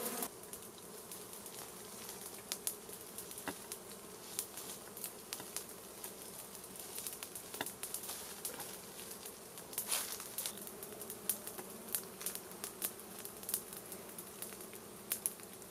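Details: Honey bees from a wild hive in a plant, driven out with smoke from a small fire for a honey harvest: a steady low droning hum with scattered sharp clicks and crackles throughout.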